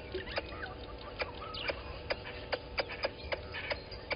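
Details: Squirrel alarming at a water monitor lizard below a waterhole camera at Gowrie dam, Djuma Game Reserve, Sabi Sand Wildtuin, South Africa, 11:45 on 10/04/20; sharp clicking chucks repeated about every third of a second, with other birds chirping behind.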